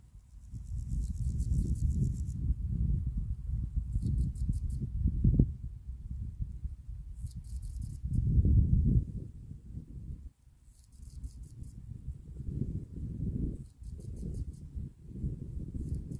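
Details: Male marsh meadow grasshopper stridulating on a mat of dead grass, giving advertisement song: short bursts of fine, rapid high-pitched pulses, each lasting about a second and repeated every few seconds, over a strong low rumble.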